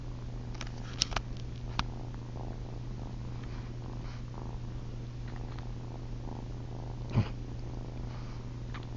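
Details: Female kitten Ollie purrs in the middle of the night as she tries to suckle on her owner's chin; an even, low hum runs through, broken by scattered sharp clicks and brief rustling noises.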